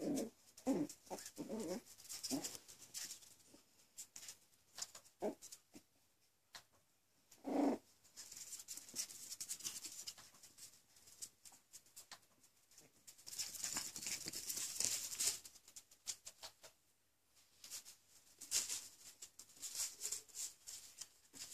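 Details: Coton de Tulear puppies almost six weeks old, Cleo and Neo, indoors: short rough low growls come in a quick cluster over the first two and a half seconds and again near eight seconds, amid scuffling paws and soft patter.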